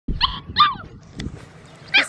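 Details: Five-week-old black tri male Australian Shepherd puppy giving short high yelps and whimpers, three sharp harmonic cries spread over two seconds with soft rustling between.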